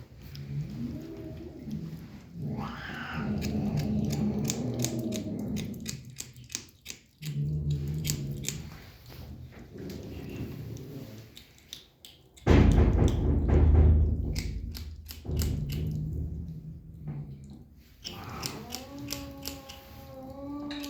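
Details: Kitten enjoying its food: repeated low, harmonic growly murmurs in bursts separated by short pauses, sharp clicking chewing and licking noises, a loud knock partway through, then a steady tonal mew-like call near the end.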